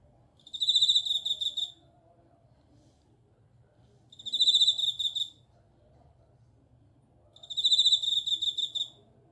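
A bell cricket sings clear, bell-like ringing trills, each about a second long, repeated every few seconds.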